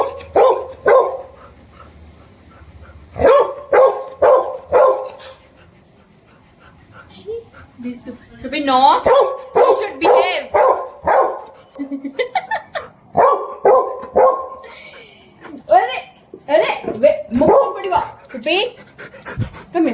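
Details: Snoopy, a pet dog wanting a baby kitten to play, barks in bursts of sharp repeated yaps, about two per second, mixed with a woman's voice coaxing and telling him to sit and behave.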